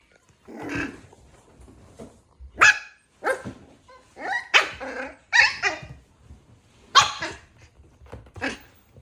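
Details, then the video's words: Puppy giving a run of about ten short, sharp yaps and barks mixed with rough, growly grumbles, coming in irregular bursts over nine seconds with brief quiet gaps between them. "Puppy original sound"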